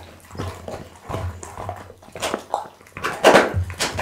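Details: Pit bull eating raw food indoors: wet, crunchy chewing and slurping bursts, irregular bites every half second or so, with a steady low hum in the background.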